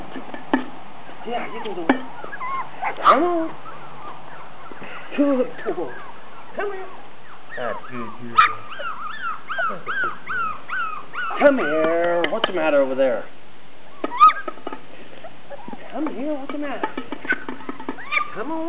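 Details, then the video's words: Four-week-old Poodle puppies chasing a pan, a chorus of high wavering whines, squeals and yelps, some sliding up and down in rapid series, with brief clatter and a person speaking now and then. "4 week old poodle puppies chasing pan"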